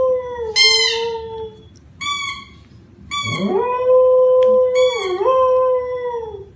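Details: A dog gives several howls: short wavering wails first, then one long sustained howl that swoops up, holds steady and dips briefly near the end before trailing off.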